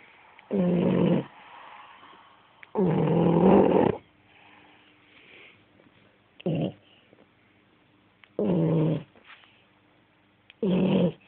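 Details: French Bulldog asleep and snoring loudly: five rough, rasping snores, each half a second to over a second long, at uneven gaps with quiet breathing between.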